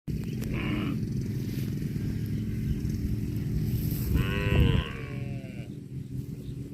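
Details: Cow eating grass, giving a single short rising moo with a bright harmonic tone about four seconds in, over steady low rumbling background noise and faint chewing or rustling.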